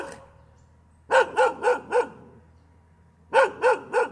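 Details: After a quiet second, a dog lets out four evenly spaced sharp barks, pauses, then adds three more in the same quick rhythm.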